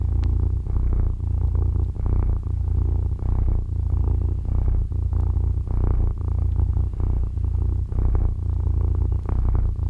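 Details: Pet cat purring while wanting to snuggle, indoors as someone wakes up: a deep, continuous rumbling purr that swells and eases in a steady rhythm, close to the listener, with no other sounds.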